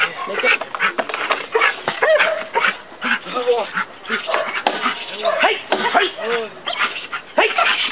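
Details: Dex, a one-year-old Belgian Malinois, during night leg-bite training at a dog training school in Trinidad. Short arched barks repeat through the clip, overlapped by men shouting commands and praise.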